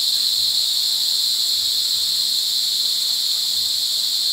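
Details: Mating cicadas at Brgy. Balabag, La Carlota City, Negros Occidental, in July 2020 cicada season produce a continuous, intense, high-pitched whirring drone that stays level and unbroken.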